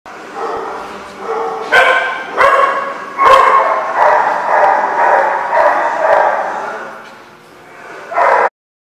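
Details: Dogs barking at a dog lot, recorded 6 November 2015; loud overlapping barks and yips come in bursts, peaking around the second to fourth seconds, with a final sharp bark before it ends abruptly.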